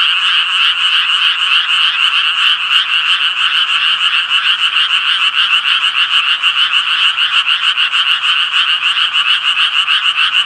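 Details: Japanese tree frogs calling together, producing a steady, grating, fast-pulsed croak that runs without a break, rhythmic wavering in loudness, and no other noise.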